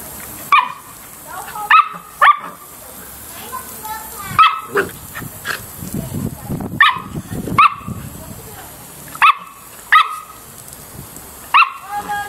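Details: Samoyed barking steadily through a play session. Sharp, ringing barks repeat every second or so, some in pairs, over low rumbling and scraping background sounds.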